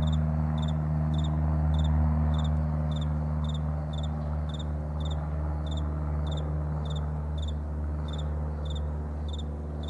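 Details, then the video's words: Crickets in a morning meadow keep up an even, fast series of high paired chirps, steady throughout, laid over a loud continuous low drone. "Morning Crickets"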